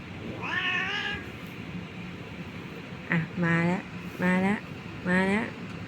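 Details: Domestic cats meowing indoors at bedtime while their owner tries to get them to play before sleep; several short harmonic meows with rising pitch, spaced about a second apart, over a steady low hum of an air purifier and fan.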